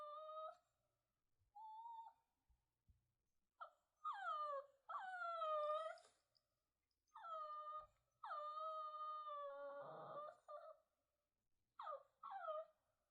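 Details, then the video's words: Shih Tzu puppy whining: a series of high, drawn-out whimpers that rise and then slide downward, with short breaks between them and a few brief yelps, in an otherwise quiet setting. "Whining Puppy (Shih Tzu)"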